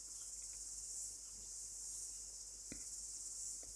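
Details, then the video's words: Cicada singing in summer in New Zealand, growing louder: a continuous, high, hissing buzz held steadily throughout with slight swells in volume, quiet and distant, with a faint click partway through. "The cicada is singing louder."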